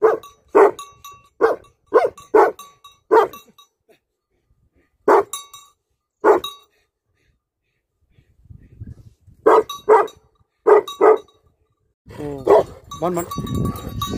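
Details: Livestock guardian dogs barking in loud, sharp bursts, rapid runs of barks separated by pauses, with a stretch of broadband rustling noise near the end.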